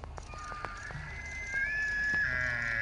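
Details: A bull elk in Colorado bugles: a few sharp clicks, then a high, drawn-out whistle that climbs and holds.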